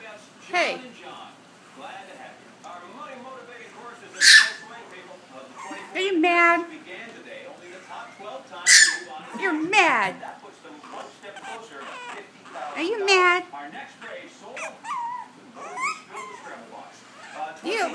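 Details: Sugar, a 10-week-old male Chihuahua puppy, protests being put in a jacket with drawn-out, wavering whiny howls that rise and fall, several outbursts spread over the stretch, interleaved with a woman's coaxing voice.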